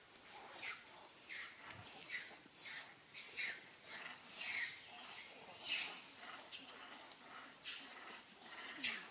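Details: A captive mother monkey and her young: a series of shrill, high squealing calls, each sliding downward, repeated roughly every second in irregular bursts, with faint rustling between them.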